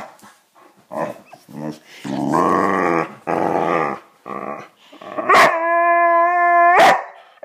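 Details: Pet Boxer Riley protesting a lack of attention: short grunts, then a rough, growly moan lasting about a second, followed by a steady drawn-out whine bracketed by sharp clicks; a voice may be faintly present.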